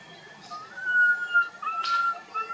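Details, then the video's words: Young monkey calling loudly as it wanders with its group, giving one long, thin, whistled cry that holds its pitch, dips briefly, then resumes, with a sharp noisy burst partway through. "tiny monkey Boston walk wandering his group try crying loudly call"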